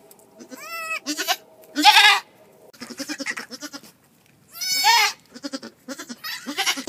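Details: Farm goat during a March birth: several bleats, two clear wavering harmonic calls plus rough noisy cries, mixed with shorter pulsed sounds and background movement.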